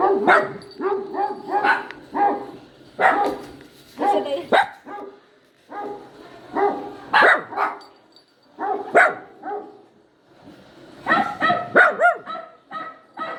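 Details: Yowling poodle puppy gives clusters of high, quavering cries and yelps, several per burst, with short silent pauses between groups over thirteen seconds.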